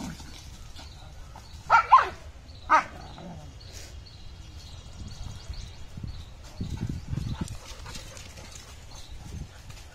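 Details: German Shepherd puppy at play, giving two short, sharp barks close together near the two-second mark, then a quieter yap; the rest is low rustling and handling noise.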